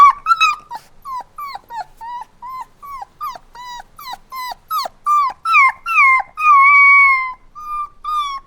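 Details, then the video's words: Crying puppy giving fast repeated short whimpers that slide downward, building into longer sustained whines near the end, including one drawn-out steady cry of about a second, rich in overtones. "Cute Puppy Crying Sounds | Dogs Whining"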